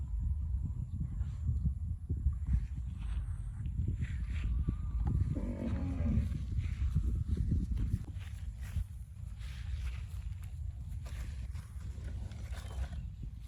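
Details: Cattle eating grass give a drawn-out, low, groaning moo near the middle, set against a constant deep rumble of wind and outdoor noise.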